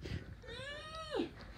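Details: A Saint Bernard puppy lets out a single long, tonal whine. It climbs gently, holds steady for most of a second, then drops sharply into a short, rough crackle. Low muffled thumps sit underneath.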